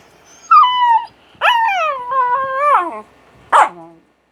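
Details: Buchog the Japanese Spitz lets out long, harmonic, howling whines, two sustained and slightly wavering, ending with a short harsh yelp.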